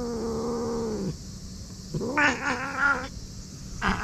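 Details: Karin, a fierce stray cat in a Japanese park, growling after being put out of the waiting room: a sustained low moan that breaks off, then a louder harsh wavering yowl and a brief final cry.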